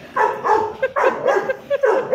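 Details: Dog named Ludo, a four-month-old puppy, in a morning barking competition indoors; a run of yappy, mid-pitched barks and growly yips, several in quick succession with short gaps.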